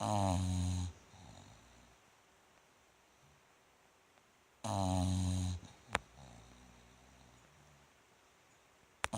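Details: A Bulldog named Rikyu snores in its sleep on 29 November 2016. Two heavy, rasping inhalations about four seconds apart, followed by faint breathing and a couple of sharp clicks.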